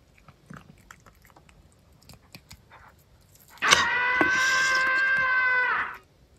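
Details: Female pet cat indoors: soft chewing clicks, then one long, steady, even-pitched meow lasting about two seconds that stops abruptly.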